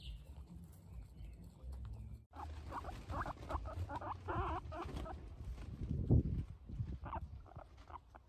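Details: Guinea pig giving a quick run of short, squeaky chirping notes in a burst lasting about two seconds, then scattered softer squeaks, over low rustling and handling noise.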